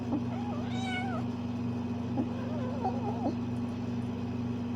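A Bengal cat gives a string of short, wavering meows and chirps over a steady low hum.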